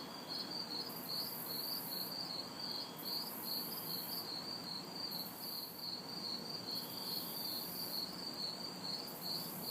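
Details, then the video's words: Crickets and cicadas calling together on a humid summer night in a city backyard, quick regular chirps pulsing steadily as bright buzzing cicada bursts switch on and off every couple of seconds, distant traffic a low wash behind. "Summer Night Sounds ~ Crickets, Cicadas"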